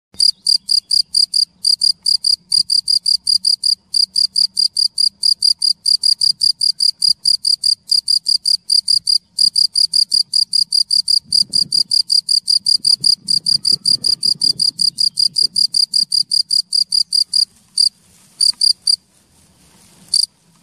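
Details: Male cricket calling to attract a female, found near a hole on a mushroom-hunting trip in Munich; rapid high-pitched chirps repeated steadily for about seventeen seconds, then a few scattered pulses, with faint low rumbling beneath.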